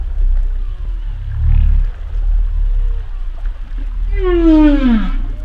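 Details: Humpback whale sounds. Faint thin whistles and a soft low grunt come first, then a loud, richly harmonic moan that falls steadily in pitch near the end. A low underwater rumble runs throughout.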